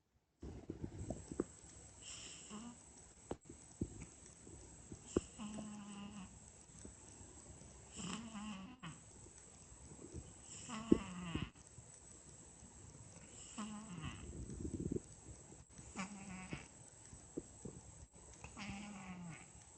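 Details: A sleeping cat snoring strangely: breathy rasps with a whistled, nasal tone that wavers and falls, recurring about every three seconds over a steady low hiss.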